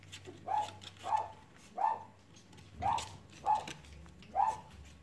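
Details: Six evenly spaced squeaky whimpers from playing Cavalier King Charles Spaniel puppies, each brief and slightly bent in pitch, coming roughly every two-thirds of a second over faint low hum.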